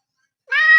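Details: Mio, a pet cat whose chronic kidney disease has returned, with blood in his urine despite urinary cat food, gives a loud, clear harmonic meow indoors. It starts abruptly after silence, holds steady and is cut off.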